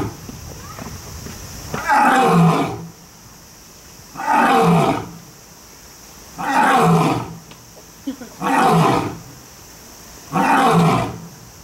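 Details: Lion or tiger at Kyoto City Zoo, Japan, giving five deep, powerful roars, each about a second long and spaced roughly two seconds apart, with a steady hiss in the background.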